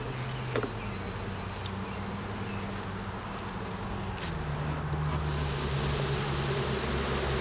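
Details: Honey bees buzzing during a daytime hive inspection in a beeyard, the hive holding a laying queen, honey, capped brood and larvae, filmed on a Canon Rebel T6 DSLR; steady low droning hum with individual flying bees passing as wavering tones that shift after four seconds.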